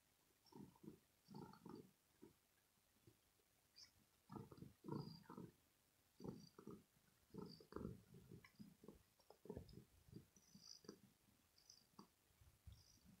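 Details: Domestic cat purring after play, deep throaty rumbling in uneven bursts with short pauses between breaths, quieter and less regular than a steady purr.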